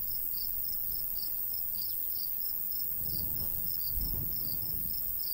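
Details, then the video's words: High repeated cricket chirps from a summer countryside wheat field, bright and regular, with the light breeze rising into a louder low gust near the end. "Countryside/cricket sounds"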